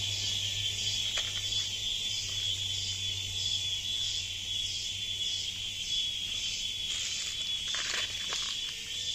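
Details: Cicadas in the jungle give a continuous, shrill, high-pitched buzzing drone with gentle pulsing throbs.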